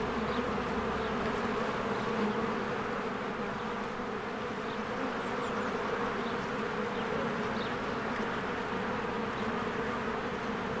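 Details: Swarms of bees flying in and out of their hive in spring, with flowers blooming: a dense, steady buzzing drone of many overlapping wingbeats, low and unbroken, with no pauses and an even loudness throughout.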